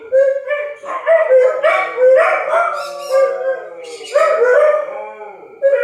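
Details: Dogs howling in response to a tornado siren test: loud, drawn-out tonal howls with rich harmonics, rising and wavering, several overlapping voices swelling and fading in repeated waves.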